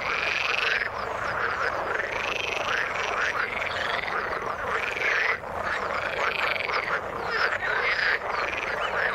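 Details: Chorus of frogs in the water: rhythmic bursts of raspy pulsed croaks repeating roughly every one to two seconds over a constant background of many callers.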